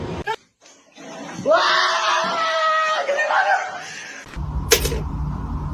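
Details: Drawn-out wavering yowl from a domestic cat, rising at the start and holding for nearly three seconds indoors, preceded by a brief voice and ending in thumps and a burst of noise.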